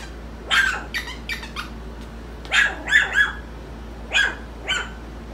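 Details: Several four-week-old puppies, lively and wanting attention, yip and yelp in quick high bursts, some doubled, scattered across a few seconds over a low steady hum.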